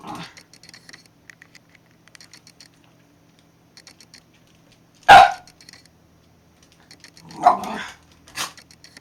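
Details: Shiba Inu giving a few short, sharp barks, one sudden loud yap followed by two softer, shorter barks about a second apart, against a quiet background of faint clicks and rustling.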